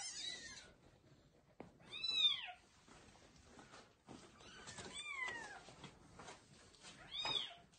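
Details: Loudly meowing kittens being carried by their mother cat to a new place: a few thin, high, arched mews spaced a couple of seconds apart, one descending, over a quiet indoor background.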